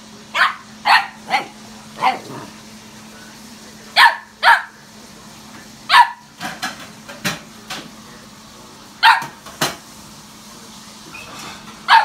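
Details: German Shepherd dog on a visit to another dog's house, giving sharp, loud barks in short bursts of two or three, about a dozen and a half over twelve seconds, over a steady low electrical hum.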